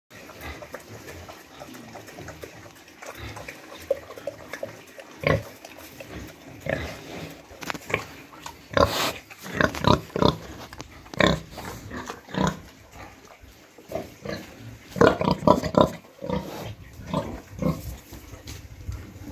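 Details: Pigs in a pen with a sow that has just farrowed and her piglets, during the cold season, with rice hulls being laid and the piglets warmed. Irregular bursts of harsh grunts and short squeals, clustering between eight and sixteen seconds.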